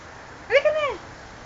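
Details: Pet cat named Pluto giving one drawn-out meow that rises and then falls over about half a second, clear and tonal above a low, steady background hum.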